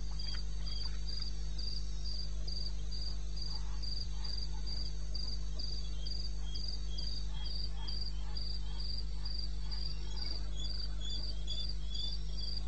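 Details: Crickets at 2:30 AM on 21 May 2016 in the eastern Botswana wilderness: a regular train of high, pulsed chirps roughly three per second, joined by a lower second insect, faint clicks and a persistent low drone.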